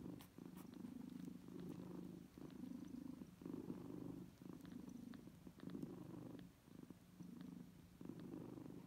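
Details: Kittens suckling from their mother cat as she nurses them indoors: a soft, low, rhythmic purr that swells and fades in steady pulses about once a second, with faint clicks scattered throughout.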